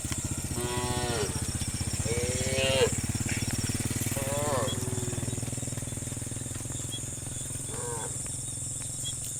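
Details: Tame cows, dozens roaming a road, call to their companions while looking for grass. There are four short harmonic bellows, the first three close together and the last after a pause, over a steady low mechanical drone and a high constant hiss.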